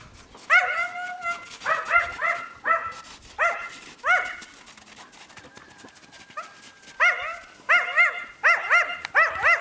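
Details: Yakutian Laika puppies giving high, arched yelps and whines in uneven bursts, with a pause of rustling before the yelping picks up again.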